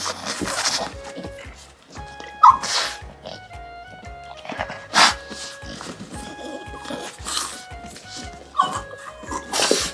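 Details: Tara, a one-year-old female French Bulldog, makes happy, joyful buhi-buhi grunting sounds: short breathy snorts and sneeze-like bursts scattered through the recording, over steady background music with a regular beat.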